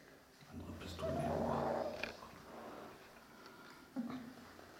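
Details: Dogo Canario puppies from the litter of Gorinka & Butze, 11 October 2015, indoors in a small room: a drawn-out, wavering whining squeal of about a second, later a short yelp, with a woman's quiet German speech around it.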